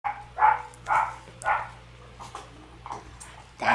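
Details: Red Shiba Inu puppy, a female born on 23 June, giving a run of about six short, high, nasal yips spaced roughly half a second apart, with faint low hum in the background.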